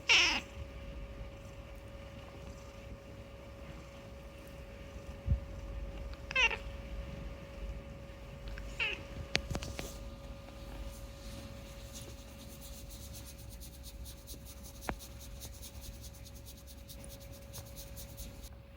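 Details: Unagi, a talking rescued pet cat, chatters indoors: three short meows about three and six seconds apart, each rising then falling. Quiet room tone follows, with a few clicks and a faint steady hum.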